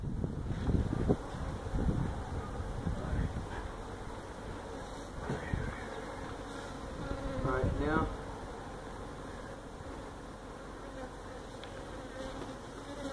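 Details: Honey bee colony nesting in a tractor tire at a Mission, Texas citrus orchard, disturbed during a feral hive removal; a continuous low hum, louder and rougher in the first half, with a short voice near the middle.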